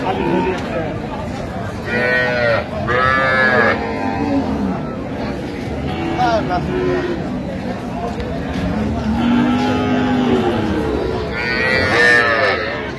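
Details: Dairy cows with their calves at the Amabari haat market in Dinajpur, 31 October 2025, give deep, arching moos, the longest near ten seconds, over a busy background of overlapping human voices and market noise.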